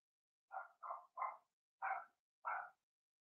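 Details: Blenheim Cavalier King Charles Spaniel puppy barking in an indoor pen: three quick yaps in a tight burst, then two more after brief gaps, each bark bright and high-pitched.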